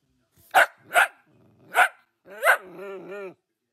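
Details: Dachshund, a wiener dog in a playful pet compilation, giving three sharp separate barks followed by a longer whining, howl-like yelp.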